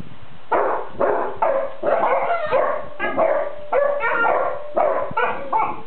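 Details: Sleeping Basset Hounds complaining to one another, a white-and-lemon female among them: drawn-out, wavering groans and whiny moans that bend in pitch, in bursts of about half a second with brief gaps, no other sounds.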